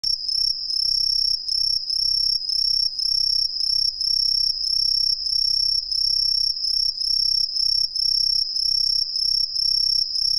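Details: An Aomatsumushi tree cricket, commonly heard in the lowlands of western Japan, sings loud, high, pure-toned chirps repeated in a quick, steady series.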